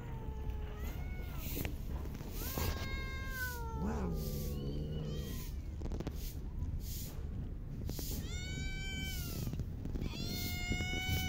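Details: Homeless cats fed in a park call in arched, harmonic meows, one wavering and drawn out, others short and rising, with a constant low rumble underneath.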